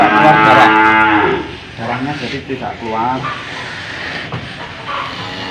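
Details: Old, tough cow being fitted with a nose rope: a loud, rich harmonic moo over the first second and a half, then breaks off into quieter, rough grunting sounds with faint background noise.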